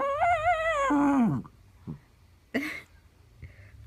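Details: Chiweenie puppy named Penny giving a long, wavering, high whine that slides sharply downward into a low groan, followed by a few soft short yips, with a woman's voice calling to it.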